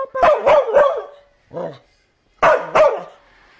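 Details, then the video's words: Dog named Bumba giving quick, loud barks in close succession, then a lower, softer sound and another pair of sharp barks. A person's voice is mixed in. "Barking Bumba"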